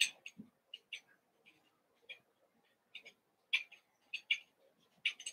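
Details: Evening play among eight young Cavalier King Charles Spaniels from two litters, Daisy's and Robin's, put together; sharp, high squeaky yelps sound roughly every half second, uneven in rhythm, with a soft lower grunt near the start.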